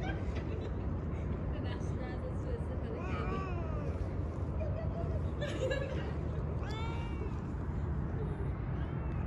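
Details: Stray street cat being petted, giving a few short, rising-then-falling meows spread across the clip, over steady low traffic-like rumble and a person speaking softly.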